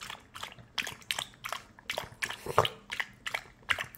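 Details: A puppy drinking water indoors, its tongue lapping in quick, uneven wet clicks and splashes, roughly one per second, each a short bright burst in a small quiet room.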